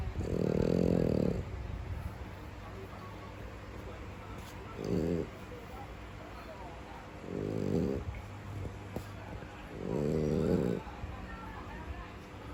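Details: Pet French Bulldog asleep, giving slow, low, raspy snoring breaths: four rumbling bursts spaced about three to five seconds apart, the first and last longest, with soft room noise between them.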